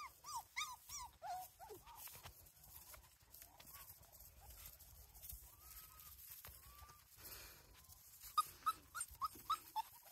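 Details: Non-pedigree Border Collie puppies at Domaine des Tourelles whimper during their first meal in daylight, with greedy ducks nearby. Bursts of high, bending yips and whines come in quick runs at the start and end, with longer drawn-out whines between them.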